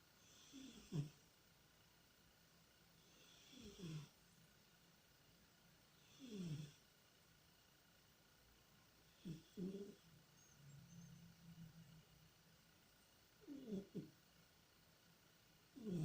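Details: Tikhon, a pet cat, asleep and dreaming, snores in soft, low, rasping breaths repeated roughly every three seconds, each a brief rumbling snort separated by near silence in a quiet room.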